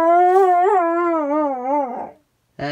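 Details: Pit bull living in an RV howling on her birthday: one sustained, wavering tone with quick pitch wobbles that fades after two seconds, then a short bark-like burst.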